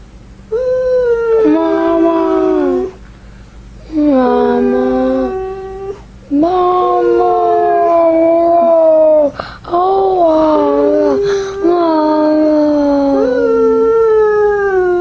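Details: Indoors, a Samoan husky dog that wants its mom makes repeated wavering, moaning howls in groups of several seconds, pitch sliding and breaking between tones, with brief pauses between each outburst.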